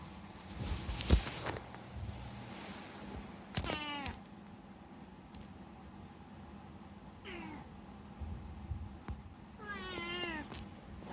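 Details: Unagi-kun, a talkative rescued pet cat, meows three times indoors, each a rising-then-falling harmonic mew, spaced about three seconds apart; a single sharp thump sounds early on over a low steady hum.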